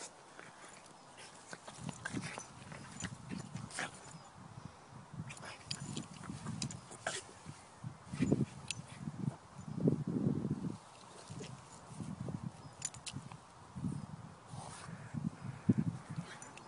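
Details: French Bulldog rolling in a meadow, making a long run of low snorts and grunts about once a second. They grow louder and more frequent midway, with faint rustling between them.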